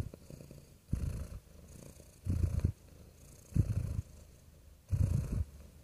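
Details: Soft, soothing purring from a real cat, low throaty rumbles swelling about every 1.3 seconds in a steady breathing rhythm against a quiet background.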